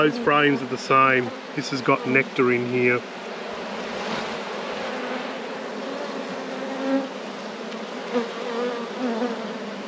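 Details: Honey bees in an apiary during a hive inspection: after a few seconds of a man talking, a steady, low droning hum of the colony carries on unbroken, swelling slightly now and then.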